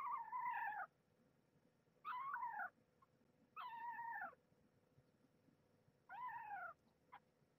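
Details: Young kittens squabbling over nursing spots while feeding from their stray mother indoors, one defending its place and voicing displeasure; four wavering, harmonic meows, each under a second, spaced about two seconds apart, with quiet background between.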